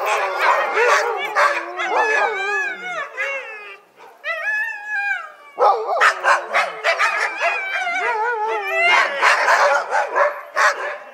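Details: African wild dogs with an impala head chatter together in shrill, twittering squeals, each note bending up and down, tumbling over one another in a busy, uneven chorus with a brief pause midway.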